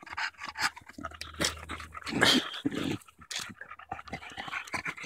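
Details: Bulldog catching her breath after battling a branch on a park walk in Erindale Park, July 2014: uneven breathy panting with a few louder gasps and snorts, some low rumble beneath.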